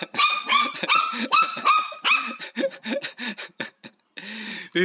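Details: Pet dog named Haengbok at home during house cleaning, both curious about and afraid of a vacuum cleaner; a quick burst of sharp, high barks over two seconds, then shorter yelping barks, with a person talking nearby.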